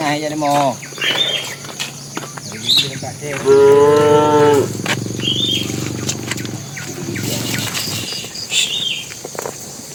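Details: Tame cattle heading to the pen, a bull calling the cows: several moos of varying length, one strong drawn-out harmonic bellow around the middle, amid rustling and background noise.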